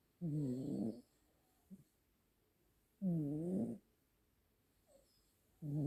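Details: Siamese cat siblings, brother and sister, snoring in duet while asleep indoors. Loud, buzzy, low harmonic snores of nearly a second each recur roughly every two and a half to three seconds, with soft quiet gaps between.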